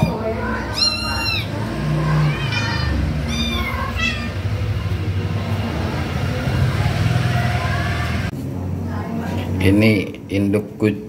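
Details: Domestic mother cat in Indonesia freeing her kitten trapped under cardboard; several short arching meows with bright harmonics early on, then a cluster of higher mews near the end, over steady background noise and a person talking.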